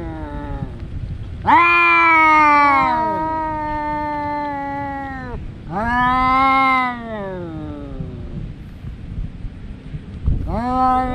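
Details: Two domestic cat brothers that fight every day, yowling at each other: long drawn-out harmonic wails with sliding, wavering pitch, three main bouts with short gaps between them.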